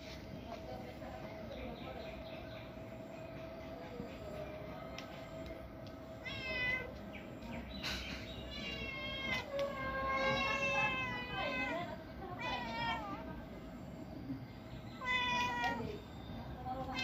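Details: A cat gives several drawn-out, wavering meows, some rising then falling, in short bursts in the second half, with a person talking softly nearby and a steady background hum.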